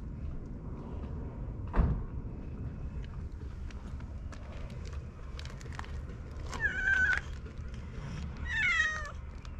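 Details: Cat island strays relaxing together in good order; after a thud and some scattered clicks, two short, bending meows come about two seconds apart near the end, over low outdoor hum.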